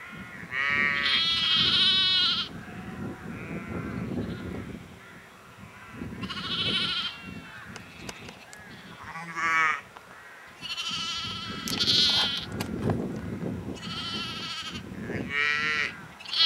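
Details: A flock of sheep at Egton, North Riding of Yorkshire, in April 2012, bleating repeatedly and overlapping, quavering and nasal cries every second or two over a rustling, low background rumble.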